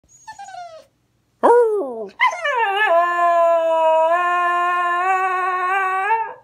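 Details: A Cocker Spaniel "singing" with its owner gives a short falling whine and a quick rising yelp, then holds one long, tuneful, overtone-rich howl for about four seconds that wavers slightly before trailing away.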